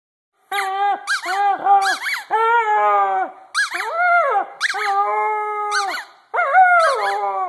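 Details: Vizsla puppy howling in a series of drawn-out, wavering high cries, each rising then sliding downward, broken by short yelps and sharp squeaky clicks between phrases.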